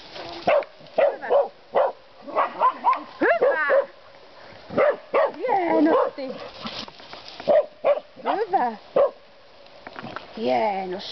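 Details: Finnish Karelian Bear Dogs, two of them, baying wild boar, give bursts of short barks and longer howling, wavering yelps. A man keeps praising them in Finnish throughout.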